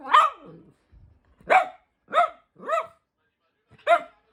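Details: Louis Philipp, a tricolor Cavalier King Charles Spaniel pet dog from Munich, Germany, barks five times in separate sharp bursts, each with a falling, whining tail, spaced roughly half a second to a second apart.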